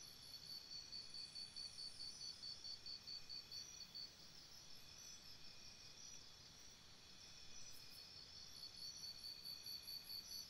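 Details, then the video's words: Crickets calling after dark near a campsite, long stretches of quick, regular high-pitched chirp pulses that fade midway and return, all over a steady shrill insect background. "Cricket Sounds"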